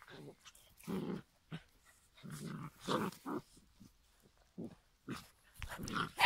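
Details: Low, throaty growls in quick short bursts from giant schnauzer puppies aged five weeks. A brief sharper squeal closes the sequence.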